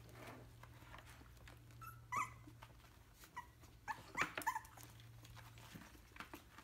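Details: Three weeks old, a Yorkshire terrier puppy lets out thin, high squeaky whimpers, one brief yelp followed a couple of seconds later by a quick cluster of rising squeals, over a low indoor hum.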